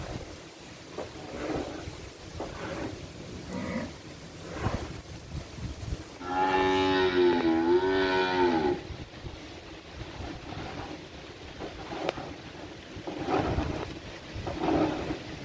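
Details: Cattle on a village farm in Indonesia: one drawn-out, wavering moo of about two and a half seconds in the middle, rich in harmonics, between stretches of clattering and shuffling farm noise.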